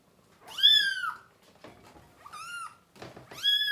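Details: Baby kittens crying indoors while their mother and littermates are dewormed and offered food; three high, arching meows, the first and last loudest, separated by quiet rustling and small knocks.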